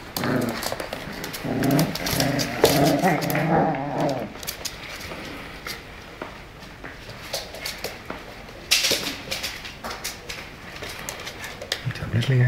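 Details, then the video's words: Playful Tibetan Terrier growling: a low, rumbling, harmonic growl for about four seconds, then quieter scuffling and clicking noises with a sharp knock near the end. "Skal vi lege ?"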